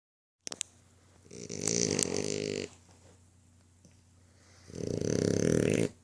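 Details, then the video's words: Apollo, a French Bulldog, snores indoors: two long, rattling, buzzy snores, each lasting over a second, separated by quieter breathing, with a few soft clicks at the start. "Snoring French Bulldog (Apollo)"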